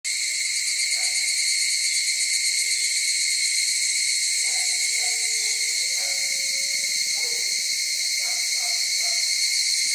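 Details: Cicadas screaming: a loud, unbroken, shrill buzzing drone that holds a steady level throughout, with faint low tonal sounds beneath.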